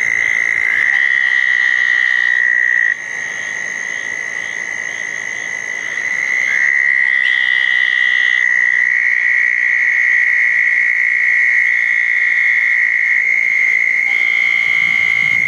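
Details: Long, even trills from southern toads gathered at two small ponds after a June 10, 2014 thunderstorm, on a wet night. Several overlapping callers take turns, each trill starting slightly lower and steadying, with faint higher buzzes in between.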